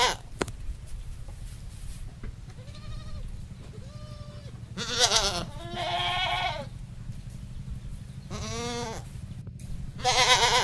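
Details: Male goat calling to a female on a countryside goat farm; several wavering, harmonic-rich bleats, some faint and nasal, others loud and quavering, against a steady low engine-like hum.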